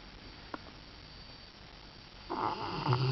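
A Rottweiler snores, a rough, breathy rasp with a deep rumbling undertone after a quiet start.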